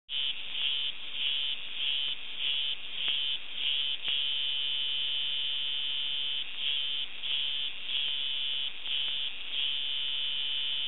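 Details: Australian cicada calling, its body moving as it changes its sound: a loud, high, shrill buzz held almost steadily, swelling in short pulses about every half second, with one longer unbroken stretch in the middle.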